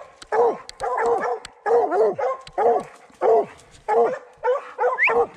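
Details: Young Redbone Coonhounds on a 2020 coon hunt, with a male in his second season and a female in her first, bay in a steady series of about nine loud, chopping barks that fall in pitch. A man urges them on the tree.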